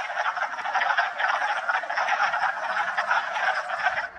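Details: Many wood frogs calling together at a spring vernal pool in March, West Hill Park: steady overlapping duck-like clucks and croaks forming an unbroken rattling chorus, with small swells in loudness throughout.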